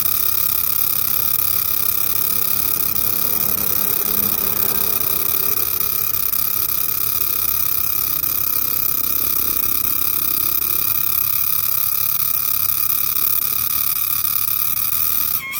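A green cicada gives a loud, steady, high-pitched buzzing drone that holds without a break.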